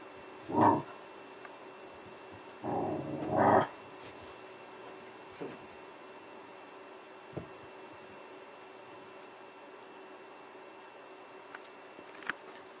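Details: Bernie, a dog, gives a short sharp bark, then a longer rough growling bark followed by another sharp one; afterwards only a few faint clicks and knocks in a quiet room.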